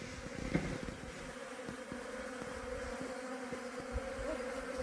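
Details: Honey bees heading back up into the hive box, a continuous even hum with steady low tones, soft ticks and a faint hiss throughout.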